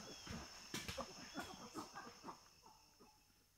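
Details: Wild chimpanzee at Tai Forest, Ivory Coast, West Africa, feeding: a fast run of soft, breathy panting grunts at about two or three per second, rising and then fading, with a steady high insect whine behind and faint bird notes.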